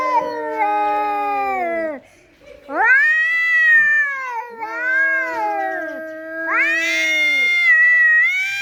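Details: Domestic cats arguing with each other: long, drawn-out wailing yowls with rich harmonics, each lasting about two seconds, rising then sagging in pitch, separated by brief pauses, growing louder and higher toward the end.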